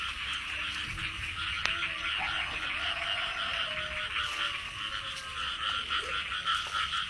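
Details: Frogs calling during the early rains of the year while being caught: a dense, continuous chorus of rapid, pulsing croaks, steady throughout, with a few faint lower tonal notes underneath.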